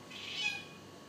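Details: Hunting African cat after a lizard, giving a single thin high-pitched call that swells and fades within about half a second, tonal with faint overtones, over quiet background.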